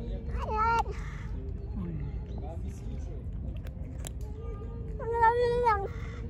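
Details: Pregnant stray cat, hungry and angry after being fed: two short, whining meows about five seconds apart, the second longer and wavering. Low background hum and murmured speech between the calls.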